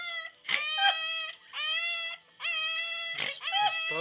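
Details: A female English Bulldog puppy, being held, gives high, drawn-out howls, each about a second long, with brief scuffling noises between.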